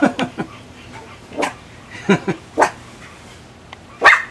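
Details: Female Miniature Pinscher, two years old, barking wildly while waiting to be let outside into the back yard: a run of short, uneven yaps and barks at irregular gaps, some soft and some loud.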